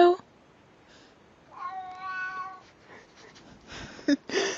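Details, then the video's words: Pet cat from a compilation of cats saying hello, answering a person's spoken "hello" with one drawn-out, level meow in mid-clip, rich in overtones; human voices and brief indoor noises before and after. "Funny Cats Saying Hello"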